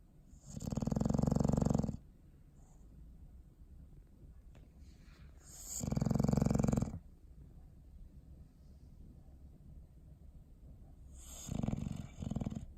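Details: Dog snoring in its sleep on December 21, 2019: three rumbling, fluttering snores spaced about five seconds apart, the last one softer, with faint breathing noise in between.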